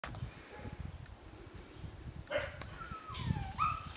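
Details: Siberian Husky puppies five weeks old, litter of Karma and Deeks, giving thin high whines that slide downward and rise again near the end, with a short yip before them over steady low rustling and handling noise.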